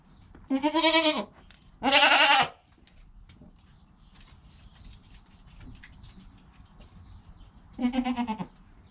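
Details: Goat kid less than an hour after birth, calm mother beside it: three quavering bleats, two close together near the start and a shorter one near the end, separated by quiet rustling.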